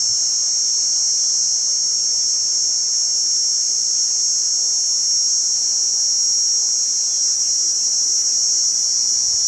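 A cicada gives a steady, high, shrill buzz that runs without a break from start to finish.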